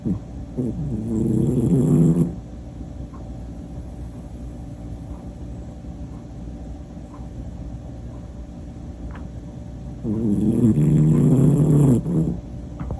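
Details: Pomapoo asleep and snoring loudly: two deep, rattling, growl-like snores of about two seconds each, roughly eight seconds apart, separated by soft breathing over a steady low household hum.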